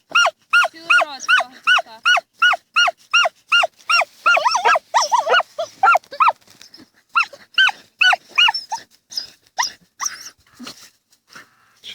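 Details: Dachshunds digging in a field in autumn 2015, one barking in a fast, regular series of sharp, ringing barks, about two or three a second, pausing briefly midway then resuming. A woman speaks softly at times.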